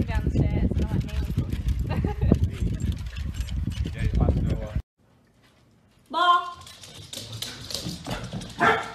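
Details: Welsh Corgi puppies playing with a ball give high, yappy barks after a stretch of busy talking and household noise.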